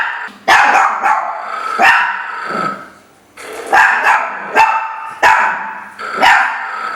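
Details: Playful Chihuahuas, a trio of small pet dogs named Jacques, Isabelle and Rachelle, yap in bright clipped barks, paired and spaced roughly every second, with a brief lull midway.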